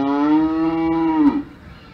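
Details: A single cow on an Alpine farm gives one steady, full-toned moo lasting over a second, holding an even pitch before sliding sharply downward and cutting off.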